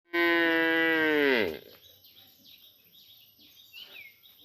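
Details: Village cow calls in the morning to another cow after being separated for vaccination, giving one harmonic moo of about 1.4 seconds that falls in pitch at the end. Soft chirps follow in a quiet background.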